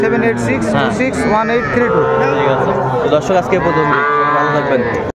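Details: Young Sahiwal bull calves being bought by farmers from Dhaka, Bangladesh, on 11 February 2025: several long, overlapping bellowing moos, richly layered in tone, over steady chatter and bargaining voices from the crowd.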